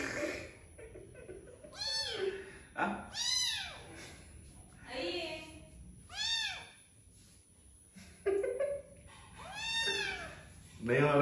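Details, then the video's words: Domestic cat or kitten repeating loud arched meows, about five over eleven seconds, each rising and falling, between bursts of human speech and soft background music. "Funny Cats and Kittens Meowing Compilation 2021"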